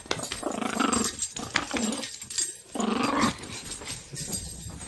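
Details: Lady, a pet Chihuahua, growls while playing, happy and then feisty: three bursts of low, rough, tonal growling, the last the longest, with rustling and jingling handling noise between them.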